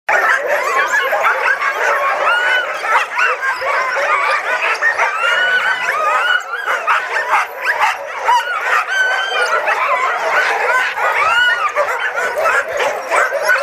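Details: Sled dogs at Caribou Crossing, many together, keep up a dense, unbroken din of overlapping high yips, barks and wavering whines, with no pause across the stretch.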